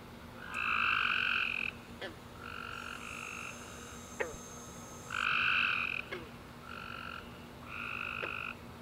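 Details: Tree frogs chirping in the dark after summer rain: loud trilled bursts alternate with softer shorter calls, while a faint high hiss runs in the middle and sharp clicks punctuate the chorus.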